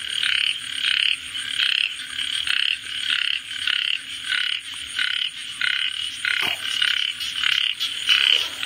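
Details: Frog chorus of short, rasping pulsed croaks repeated in bursts roughly every half second, bright and high-pitched, with a steady insect-like hiss in the background.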